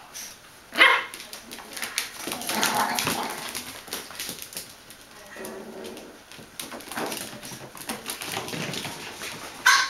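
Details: Bichon Frisé puppies, eight weeks and one day old, at a kennel in Vejle: sharp, high yapping barks burst out near the start and again at the end, with softer whimpering sounds and human voices in between.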